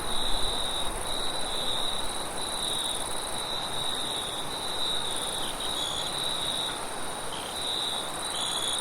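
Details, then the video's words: Crickets at night with wind, a steady high chirping trill in short linked bursts and a fainter buzz higher up, while a deep gusty rumble and hiss of wind sit heavily underneath. "Crickets and wind sounds at night sound effect"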